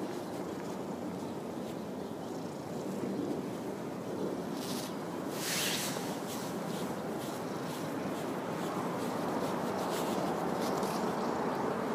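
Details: Steady wind rumbling against the microphone outdoors at a park car park, with a few faint hissing rustles and no animal voice.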